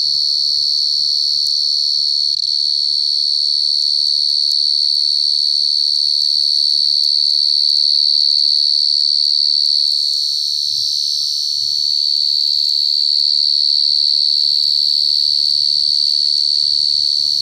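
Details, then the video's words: A wild cricket gives a loud, shrill, high-pitched trill that runs almost unbroken throughout. "Suara jangkrik paling nyaring"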